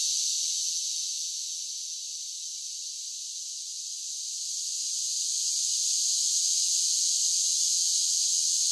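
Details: Cicadas singing in summer: a dense, continuous high-pitched buzzing hiss that softens slightly in the middle and then swells back to full strength, with no other sounds.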